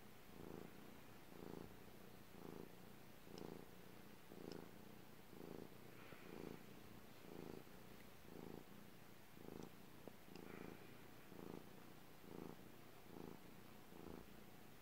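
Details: Purring cat, deep rhythmic rumble pulsing roughly once per second, each inhale and exhale audible as a separate swell, over faint background hiss and a few tiny clicks.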